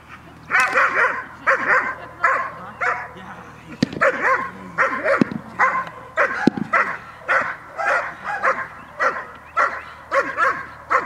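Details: Dog barking through a training session on 5 May 2015; a long series of sharp, forceful barks, sometimes in quick pairs, with a human voice apparently mixed in during the middle stretch.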